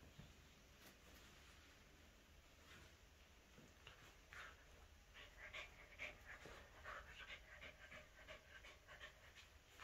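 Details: Captain, a Shih Tzu × Corgi mix dog, battles a toy shark called Jaws. Quick, breathy panting bursts come unevenly in a fierce play scuffle, with soft rustling and thumps from the tussle.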